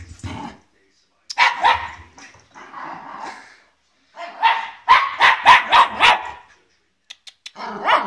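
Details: Olive, a young Welsh Terrier frightened of a guitar, gives quick bursts of shrill barking amid a person's speech, the loudest run of rapid yaps coming midway.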